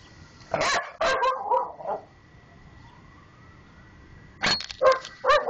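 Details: Two pet dogs at home bark while guarding the mail box slot of a house; they dislike the sound of a vuvuzela soccer horn. Loud sharp barks come in a quick burst, a pause follows, then another rapid burst, with a steady faint tone behind.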